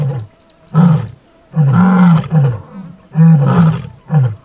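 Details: Deep, throaty grunting roars from a rare white male lion in Kruger National Park, roaring together with a Satara Pride female right beside a vehicle, two of his cubs present; each heavy burst follows the last after a short pause.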